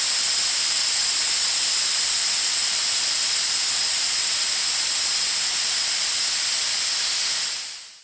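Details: A Patagonian lancehead from Argentina hisses in one long, unbroken, breathy rush. It stays level for about seven seconds, then fades away at the end.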